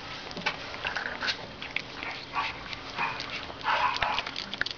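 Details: Fifteen-day-old Boston Terrier puppies make short, high squeaks and small whines, scattered irregularly in brief clusters, over a background of soft rustling and shuffling.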